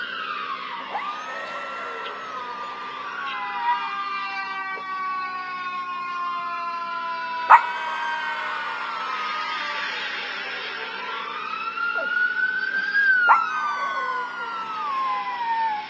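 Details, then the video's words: Lucky, a Russian Toy Terrier in Manhattan, howls along with NYPD police sirens, mimicking them: long wavering tones rising and falling over the sweeping wail of the sirens, with a couple of sharp clicks. "Lucky the Howling Dog Mimics NYPD Sirens in Manhattan ~ Russian Toy Terrier"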